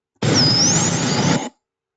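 A bottlenose dolphin gives a thin, high whistle that dips and then sweeps upward over heavy underwater hiss.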